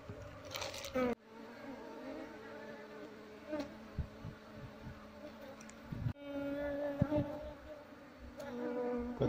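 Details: Wild Asian honey bee colony, Apis cerana, being moved from a window shutter into a hive box: steady low droning hum with humming overtones, broken by brief handling noises and a short pause.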